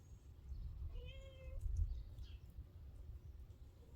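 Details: Female wild cat, coaxed out while being trained by the person who feeds her, gives a short, flat, mid-pitched meow amid low rumbling and soft thumps.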